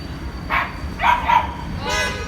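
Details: A puppy playing with its owners cries in three short whining bursts, each rising and falling, over a low steady background rumble.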